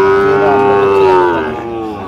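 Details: A Sahiwal bull calf moos at a Bangladeshi cattle market in Mymensingh, 19 April 2025: a loud, even, drawn-out bellow of about one and a half seconds that fades gently at the end.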